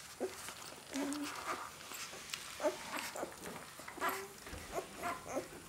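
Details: Four-day-old Great Dane puppy making short, thin squeaks and whimpers, some pitched low and some rising higher, scattered irregularly through a few seconds alongside soft rustling.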